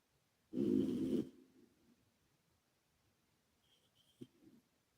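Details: Calmo, a male British Shorthair and former rescue cat, snores while asleep indoors with echo added: one loud, low, rough inhaled snore under a second long that fades in a reverberant tail, then quiet until a short faint snort.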